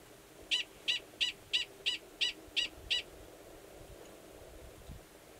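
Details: Gunnison's prairie dog, a male calling near an estrous female's burrow in Valles Caldera National Preserve, New Mexico, during March. A series of eight crisp chirping barks at a steady quick rhythm, then quiet background.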